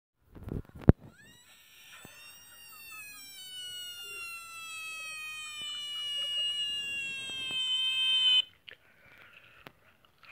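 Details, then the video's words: Screaming frog recorded March 3, 2018, said to cry like a girl: after a few sharp knocks, one long, loud, harmonic wail holds steady and drifts slightly lower for about seven seconds, then stops abruptly, followed by faint rustling. "Screaming Frog Llora Como Ñiña"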